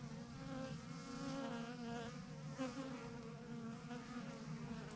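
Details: Thousands of honey bees hanging in a massive clump on a branch, a swarm giving a steady, dense drone with a low hum near 250 and a stack of overtones, unbroken for the full length.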